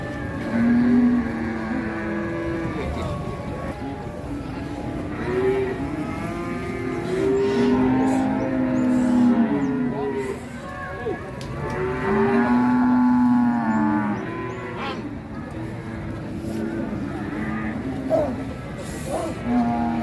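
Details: Market cattle in Ngawi, Indonesia, being loaded onto trucks: repeated short and drawn-out moos from several animals at varied pitches, over a din of engines and human chatter.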